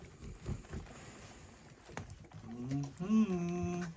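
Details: Two-week-old puppies, hungry and searching for their mother; a loud, drawn-out whine rises and then holds steady near the end, after soft shuffling, thumps and brief human voices.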